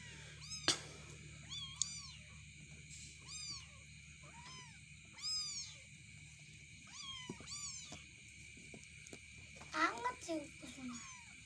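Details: Cats in a cat house as a grown cat is put together with kittens: high, thin, arched mews, short single notes repeated roughly every second, some overlapping, over a steady humming background.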